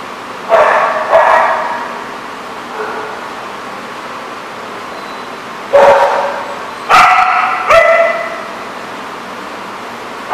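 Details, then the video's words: Dogs barking at an outdoor lot, sharp single barks in two bursts: two near 0.5 and 1.2 seconds, a softer one near 2.8, then three louder barks between 6 and 8 seconds over steady background hiss. "The Barking Lot"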